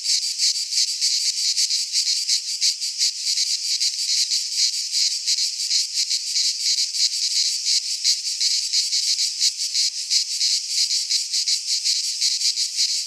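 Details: Midsummer cicada chorus recorded in a pine forest in Greece, a shrill continuous high-pitched buzz broken into rapid, fast-throbbing pulses, unchanging in loudness over the whole stretch, with nothing else audible.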